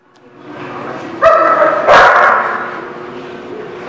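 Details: Dog recorded on 2 February 2019, giving a single short harmonic yelping bark followed by a harsher broadband bark, then low background noise.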